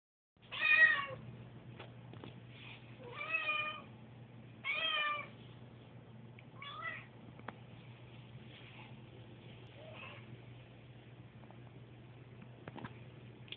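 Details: Susie, a pet cat nervous on moving day amid household noise, gives three loud harmonic meows close together, then two fainter ones, over a steady low hum indoors with scattered clicks.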